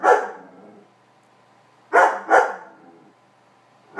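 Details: Pet Weimaraner Meego objecting to a kitty cat lying on his bed and urging it off; a loud bark opens, then a quick pair of barks in the middle and another starting at the end, with a tonal ringing edge.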